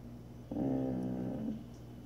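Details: Sophie Bear, a Samoyed, indoors in a small room, gives a drawn-out, low, moaning groan of about one second with a rich buzzy tone and a slight wobble at the end. A quiet room hum sits underneath.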